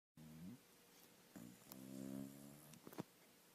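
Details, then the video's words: A sleeping dog snores indoors in a small room: three low, droning, tonal snores, the longest a steady rumble of almost a second, each followed by a quiet pause, with a brief click near the end. "Смешной храп спящей собаки"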